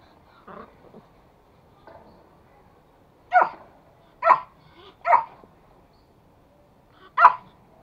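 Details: Pet toy Pomeranian, a male courting a female of the same breed, gives sharp mid-pitched barks: a few soft yips early on, then four loud, evenly spaced single barks about a second apart, with quiet room background.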